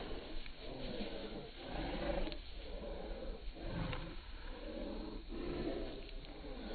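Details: Pet Bull Terrier giving a string of deep, raspy grumbling vocalizations, about six throaty pulses spaced roughly a second apart, over constant low background hum.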